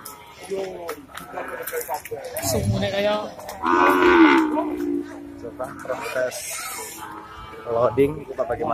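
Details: Male Indian cattle, a bull, raging on entering the Pasar Wage Bumiayu livestock market six days after Eid al-Fitr 2022: a low, drawn-out moo of just over a second midway, surrounded by steady men's talk and crowd noise.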